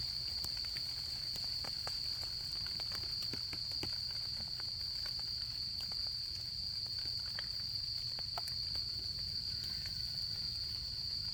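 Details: Shrill, level insect trill of an autumn night-camping scene, unbroken and prominent, accompanied by scattered soft crackles and ticks from a nearby campfire and a faint low background hum.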